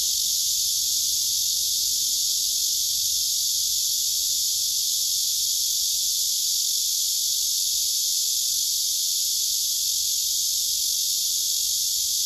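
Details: Male cicada singing on a tree, filmed by phone: a steady, dense, hissing buzz high in pitch, unbroken and even in loudness throughout, with no other clear sounds.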